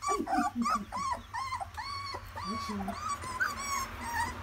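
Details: Several puppies walking for the first day give short arched whines and squeaky yips in quick succession, with low grunting murmurs underneath and a steady background hum.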